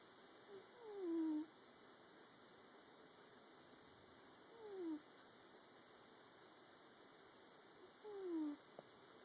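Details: Ren the cat snores in her sleep, a habit she has always had and not caused by a nasal problem. Three faint, thin, whistly notes glide down in pitch, one with each breath roughly every three and a half seconds, over a constant background hum.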